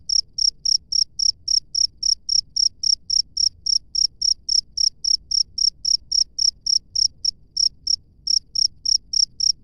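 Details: Cricket in the wild giving a long, regular run of high-pitched chirps, roughly three or four a second, shrill and evenly spaced with only faint low background rumble.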